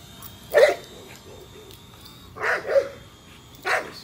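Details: Nola, a female American Bully, barks while chasing a drone: three sharp barks spaced over four seconds, with a faint steady whine from the drone in the background.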